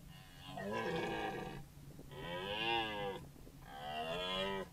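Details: Red deer stag (Cervus elaphus) bellowing in close-up before a trail camera in Parco Nazionale Foreste Casentinesi, Italy: three long, moaning roars with rich harmonics, each over a second, rising then falling, separated by short pauses.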